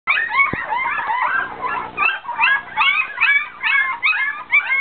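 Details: Several poodle puppies waiting for their mother's milk whimper and squeal nonstop, overlapping thin high yelps rising and falling in rapid bursts, more than two per second, with no other sounds.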